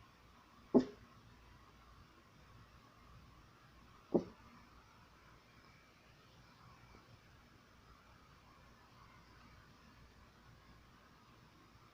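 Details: A quiet indoor room with low hum and two sharp knocks, with no animal voice heard. The knocks are brief, dry clicks a few seconds apart, and no barking or other animal call stands out.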